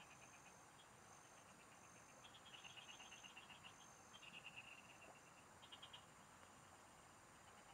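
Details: Several frogs call in rural fields at a fishing spot. Bursts of rapid, bright pulsed notes overlap and answer one another over a constant hum of background noise, with long high insect-like tones drawn out above.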